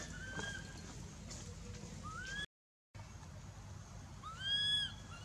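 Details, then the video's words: Baby monkey Anissa at Angkor Wat Temple, crying in mouth pain after Aron hit her and dragged her across hard earth; a brief cut interrupts, then high arched whining cries with bright harmonics rise and fall near the end over faint rustling. "Baby Monkey Anissa Cries Breaking Mouth Pain Aron Hit And Drag Her Across The Hard Earth"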